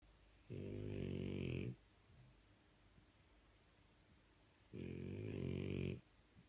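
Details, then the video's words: A blue French Bulldog napping in bed indoors snores in two long, rumbling buzzy breaths about four seconds apart, with quiet room hiss between them. "A french bulldog snoring in the bed"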